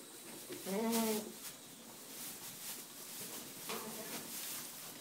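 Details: Young Boer goat kids playing, bred in Bavaria, Germany, 2011/12 offspring; one strong wavering harmonic bleat near the first second, then a fainter shorter bleat near four seconds, over steady rustling and light patter.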